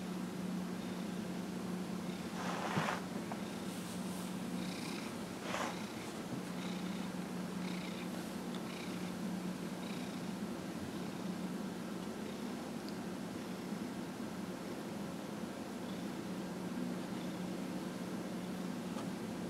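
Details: Dillard, a 15-and-a-half-year-old pet cat, purrs while being massaged on January 31, 2018. A steady, low, continuous purr runs under a constant hum, with brief rustling bursts from handling around two and a half and five and a half seconds.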